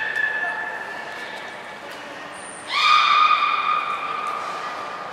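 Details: Beluga Hodoi, held at Port of Nagoya Public Aquarium, recorded 6 January 2019 in a training session for stomach fluid and blood collection. Human talking comes first, then a brief shrill whistle, then a loud, flat, harmonic-rich call lasting about two seconds.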